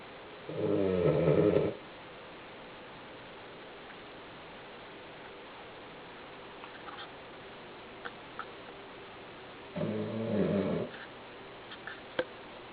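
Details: Sleeping male Cavalier King Charles Spaniel, marble-coated and 11 kg, gives big indoor snores: a harsh, buzzing inhale lasting over a second, a long quiet pause, then a second rasping snore, with scattered small clicks between.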